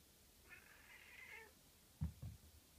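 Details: Japanese tabby cat Hiroshi crying at home, perhaps missing his brother cats or the outdoors after a sleepover; one drawn-out, mid-pitched meow lasting about a second, followed by two soft low thumps in a quiet indoor room.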